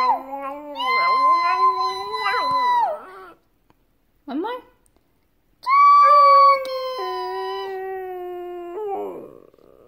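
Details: A male Shih Tzu 'sings', giving long, tonal howls that waver, rise and fall in pitch, with pauses between bouts, breaking into a short yelp before a final sustained note; faint speech may be mixed in.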